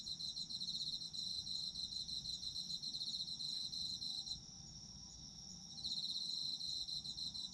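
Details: Autumn insects in a sleep-aid ambience: dense high chirping chorus with steady pulsed trills, several singers layered, one dropping out briefly mid-way before resuming; faint low background hum.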